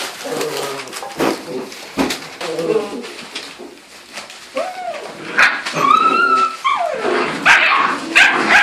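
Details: Nine seven-week-old puppies, weighing 12 to 14 pounds, playing roughly with each other indoors; rising yelps and a long high whine, then clustered squeaky yips, with a woman speaking softly.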